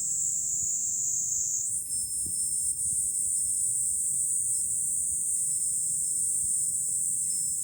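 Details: Cicadas on a Fukuoka city hilltop in July, Japan: an intense high whirring chorus that jumps to a brighter, higher pitch after the first seconds and then stays level, with gentle wind in the background.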